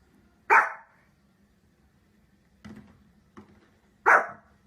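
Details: Dog making funny noises: two loud, full barks about three and a half seconds apart, with two softer, shorter barks between them against a quiet low hum.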